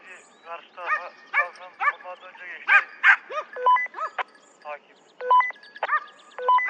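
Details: Hare-hunting hounds in Turkey during the 2023-24 season opener give rapid, overlapping yelps and bays. Short, flat electronic-sounding tones and a human voice also come through.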